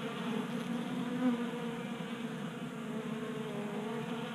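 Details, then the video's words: Several honey bees feasting at a 3D printed bee feeder on a workbench in a Colorado garage in January, active in late warm weather; continuous low buzzing drone with a brief louder swell as one bee passes close. "45 Minutes of Honey Bees Feasting from 3D Printed Bee Feeder"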